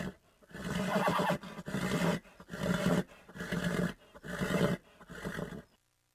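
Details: Horse giving a run of deep, rough, throaty bursts, roughly one per second, each lasting under a second, low and growling rather than high and whinnying, ending in quiet.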